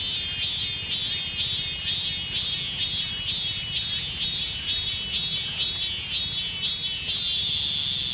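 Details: A rare emerald-green mikado-form minmin cicada, found in a park in western Saitama Prefecture, sings a loud, shrill, pulsing buzz repeating about twice a second.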